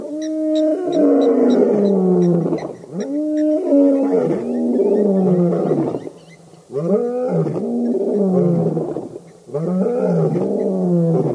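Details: Lions of the Birmingham Boys coalition at a dam in Djuma Game Reserve, Sabi Sand, South Africa, August 11-12 2016, give deep, powerful roars that fall in pitch and break into a run of heavy grunting bursts.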